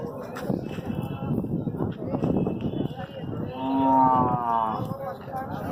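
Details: Hallikar cattle at the Siddaganga cattle fair; a steady, slightly wavering moo of about one second rises out of crowd chatter and background music, with other voices and noise throughout.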